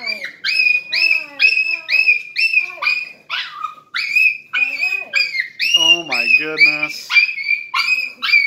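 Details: Crying, happy Miniature Schnauzer greeting someone home after two hours; steady string of high whining yelps, roughly two a second, with a lower rough, buzzy moan near the middle.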